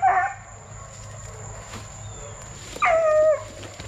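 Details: Young Plott Tan hounds, a Plott hound and black and tan coonhound cross, raised for tracking. Two whiny, drawn-out yelps fall in pitch, one at the start and one near the end, with a quiet pause between them.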